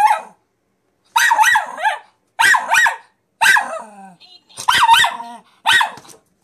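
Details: Miniature Pinscher Zora, nine months old, objecting to a talking piggy bank with bursts of shrill barks in twos and threes, a faint toy voice heard between volleys.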